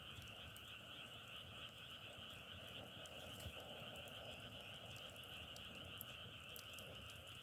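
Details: A dense frog chorus drones evenly throughout, a layered trilling sound with occasional sharp clicks and crackles.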